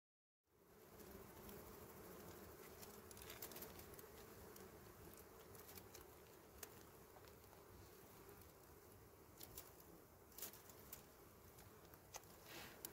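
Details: Small honey bees at a wild honey nest among dry berry twigs, a steady low droning hum throughout with scattered faint clicks and ticks.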